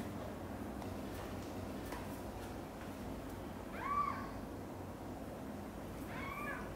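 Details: Two quiet, arched meows from cats while mother cat Xaxa moves mother cat Chan's kittens Miracle and Cream into her own nest, the second meow more drawn out; faint clicks and a low steady hum underneath.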